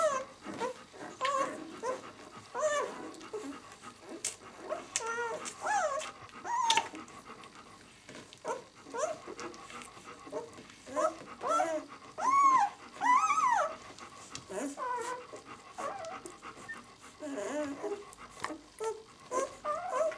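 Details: Six-day-old White German Shepherd pups, "of White Night" B litter, in a small room: softer, busier mix of faint whines and squeaks from several puppies, with brief louder cries near the middle and steady rustling throughout.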